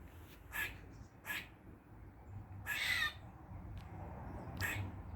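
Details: In a Dublin garden on a mid-August 2023 forenoon, a squirrel gives odd sounds: a few short rasping barks, then a drawn-out harsh squeal, more short rasps after, with faint low hum behind.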